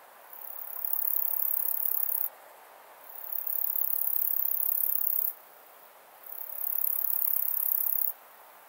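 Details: Steppe bush-cricket (Montana montana) singing at Siegersdorf, Austria, on 15 June 2020. Continuous very high-pitched buzzing trills last about two seconds each, separated by one-second pauses, over a steady broadband hiss.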